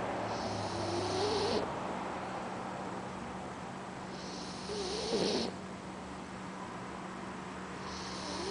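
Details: Oscar, a Boxer puppy, snoring while asleep: three breathy, hissing snores arrive about every three and a half seconds over a steady low indoor hum.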